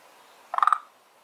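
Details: One of two kinds of frog living in a garden pond gives a single short rattling call of about five rapid pulses, lasting a quarter second.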